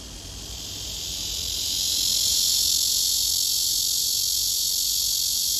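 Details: Cicada singing in summer, a love serenade to win a mate: a dense, steady, high-pitched buzzing drone that swells during the first two seconds, then holds at full strength without a break.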